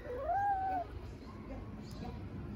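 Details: Tiny kitten talking while eating, recorded in Istanbul: one clear, smooth arched meow lasting under a second that rises and then levels off. A quiet rumbling background and faint low murmurs follow.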